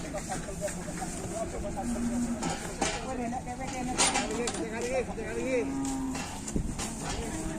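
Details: Enraged bulls during a fight in Indonesia give wavering, moaning bellows that rise and fall in pitch, several overlapping calls amid background chatter and occasional knocks.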